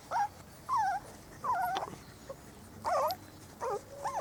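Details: Four-week-old Spanish Water Dog puppies exploring the garden on their first day outdoors; loud, wavering high whines in five separate bursts, each about a third of a second, some bending up and down in pitch.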